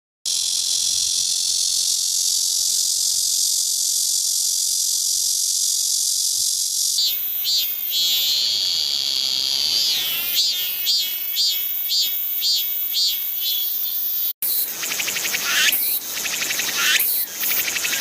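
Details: Cicadas found in Korea, several kinds in turn: first a steady, very high electric hiss for about seven seconds, then a rhythmic pulsing song with rising and falling phrases repeated about twice a second, then a dense, rough buzzing chorus.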